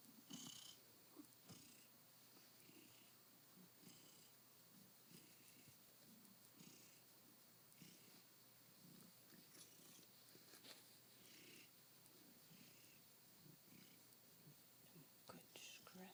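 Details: Soft continuous purring from Dancer, a cat contentedly settled on his window sill a few hours after arriving in his new home; low rumble swelling in pulses roughly once a second, with faint scratching and rustling.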